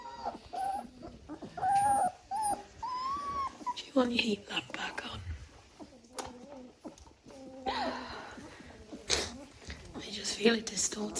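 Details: Young German Shorthaired Pointer puppies under a heat lamp let out a few short, high whining whimpers early on. Afterwards come murmured human speech, handling noises and bursts of rustling.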